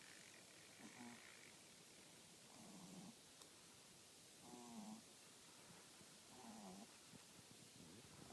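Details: French Bulldog snoring: fainter, irregular rasping breaths with low buzzy harmonics recurring about every two seconds over a hissy background.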